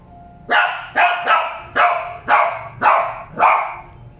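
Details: Shih Tzu dogs giving six loud, sharp barks at a steady pace of about two per second, each bark clipped and bright.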